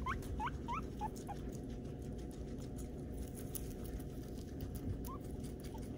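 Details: Peruvian guinea pig Armani during his first haircut, giving a quick burst of four or five sharp upward-sweeping squeaks at the start, then two faint ones later, against constant low background noise and light rustling.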